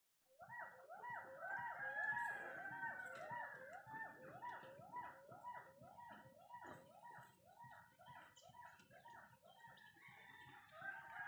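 A hoolock gibbon sings a fast series of loud, swooping whoops, about two each second.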